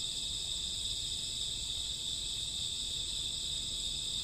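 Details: A summer or autumn midnight chorus of crickets and grassworms: unbroken, high, buzzing trills from many insects layered into one constant ringing band, with soft low background noise.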